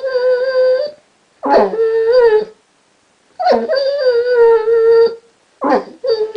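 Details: Basset hound named Chester, a pet recently taught to 'talk', gives long steady whining howls broken by short grumbly yips, three drawn-out tones in about six seconds inside a quiet room.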